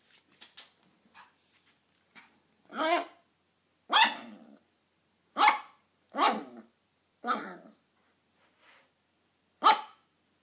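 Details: Toy poodle puppy on his first day home, meeting his older brother; a series of short sharp barks and yaps in irregular bursts, with faint soft noises between them.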